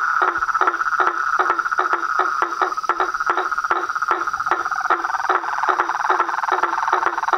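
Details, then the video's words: Nightfall chorus of frogs, toads and tree frogs at a pond by a house veranda: a steady buzzing drone overlaid by crisp clicking notes repeated roughly two or three times per second. "A SINFONIA DOS SAPOS, RÃS E PERERECAS"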